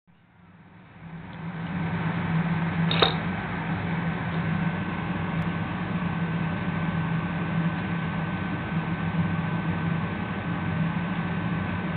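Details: Steady mechanical hum like a fan in a small room, with one brief click, and no animal sound.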